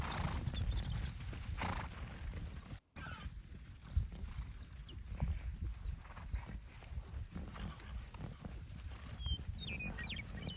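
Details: Wild Onaqui horses being moved along by a buckskin stallion; steady thudding hoofbeats and low rumbling dominate, with a brief whinny-like call and a few faint high chirps near the end.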